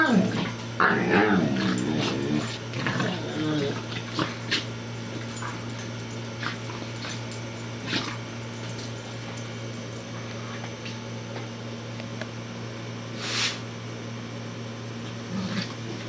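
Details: Corgi and Bouvier dogs, Miss Marple and Baloo, at play-fighting indoors; a rough, throaty run of growling yips fills the opening seconds, then quieter scattered sounds and a low background hum.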